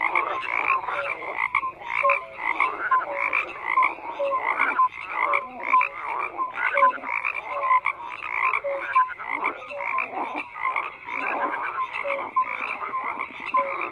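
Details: A crowded frog chorus: bursts of raspy croaks pulse roughly every half second, layered with brief tonal chirps, steady throughout.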